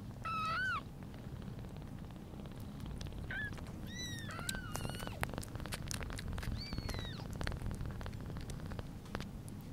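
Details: British Shorthair newborn Pudding, one day old, born 11/09/2022, near mother cat Sunny: a loud wavering mew, then a brief squeak and several thin rising cries, followed by scattered clicks and rustling.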